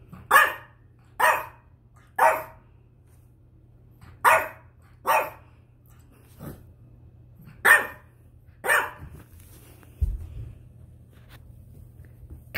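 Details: A 10-week-old male French Bulldog puppy, discovering his voice while settling into his new home, lets out a string of short, sharp barks about a second apart.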